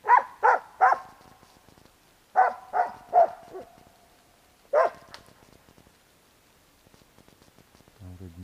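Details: Bek, a dog, barking at a squirrel climbing a tree trunk: three quick sharp barks, a pause, three more, then a single bark, with a brief voice near the end.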